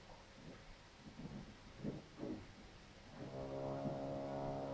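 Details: Cow during a problem calving of a heifer on a Polish farm: a series of short, low grunting bursts roughly every half second, then a steady, deep harmonic moo that begins and continues to the end.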